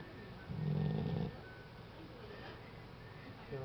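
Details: Tyson the dog snoring: one low, rough, droning inhale lasting under a second, followed by quiet room hiss.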